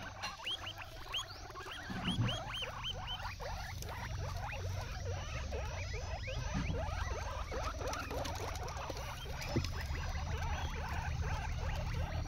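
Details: Pet guinea pig eating an unfamiliar grass, giving a rapid run of short, rising squeaky notes that bunch densely in the first seconds and carry on through a low, steady background hum.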